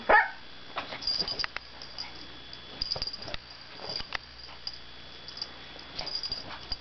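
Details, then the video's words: Izzy, a pet dog, gives a sharp bark at the start, then scattered soft yips, grumbles and snuffling noises over low steady hum. "Izzy Barking and Growling and Makin All Kinds of Funny Noises"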